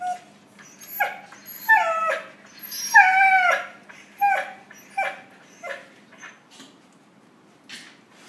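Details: Young puppies trading calls: repeated short whines that dip in pitch, the loudest a drawn-out wavering whimper near the middle, then softer, sparser yips fading away.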